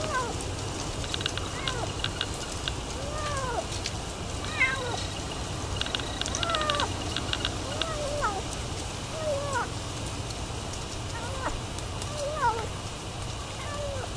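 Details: Feral kitten, brought by its feral mother cat to be fed, in Mabank, Texas; many short high mews with rising and falling curves, repeated through the clip over a steady background hum.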